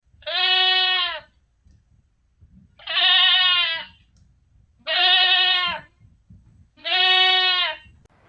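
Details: A goat gives four loud, nasal, wavering bleats rich in harmonics. Each lasts just under a second, spaced about two seconds apart, with near-quiet gaps between calls.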